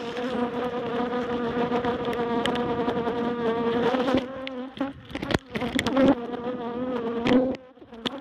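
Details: Honeybees being relocated from a barrel to a new home at Miss Bee Haven, described as mad while their hive is cut. A steady, low droning buzz with rich overtones fills the recording, broken by a few sharp knocks and scraping sounds.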